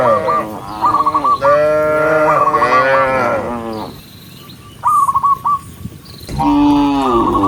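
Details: Dozens of cows being herded along a forest road on a farm give long, drawn-out moos, deep and rich and overlapping, with short chirpy whistles between.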